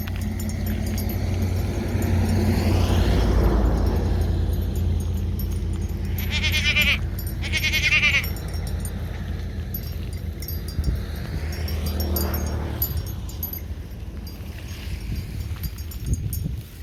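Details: Two short, shaky bleats from goat kids playing wildly one afternoon, rising out of a steady loud low rumble that covers much of the recording.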